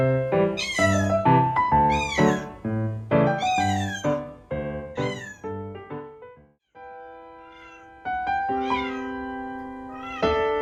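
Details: Male Ragdoll kitten meowing while left home alone, born May 2021; a quick run of arching, rising-then-falling meows, roughly two per second for six seconds, followed by steady background music with a few softer meows.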